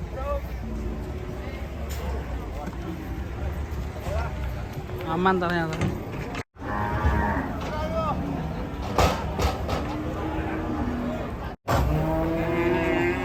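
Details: Raging cattle in a compilation of angry cows moo repeatedly, low drawn-out calls in several bursts separated by abrupt cuts, with people talking and vehicle noise in the background.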